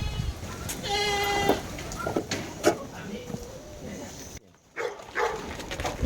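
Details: Goat in Taiwan, hungry and being fed paper mulberry and mulberry leaves, utters a short nasal bleat near the start. Afterwards come rustling, clattering, human chatter and a brief dropout in the recording.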